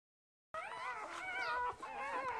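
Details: Two-day-old Border Collie puppies from a litter of six, one brown and the rest black and white, born to a purebred mother named Lilly; overlapping high squealing whines waver and slide continuously after a brief silence.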